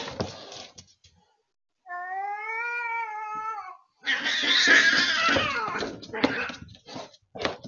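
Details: Indoor house cats provoked into fighting by a feral cat at the deck window, the third such visit in a week: a drawn-out harmonic yowl wavering slightly, then loud harsh screeching and spitting scuffle noise with rapid broken bursts.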